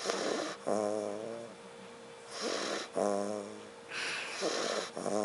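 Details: Loud, close snoring from Derek, a sleeping pet dog: a long rasping, rattling inhale, then a softer whistling exhale, repeating roughly every two and a half seconds in a small quiet room.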